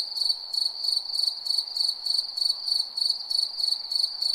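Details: Nighttime crickets: shrill sustained trill with rhythmic throbbing chirps about three each second, uniform and unbroken.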